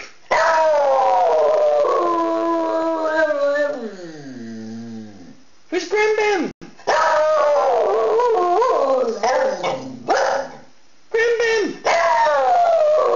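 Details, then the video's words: Pet dog howling in a talking, singing manner: a run of long wavering howls, some falling and fading into groans, broken by short gaps and abrupt restarts, with a person's voice mixed in. "Talking & Singing Dog"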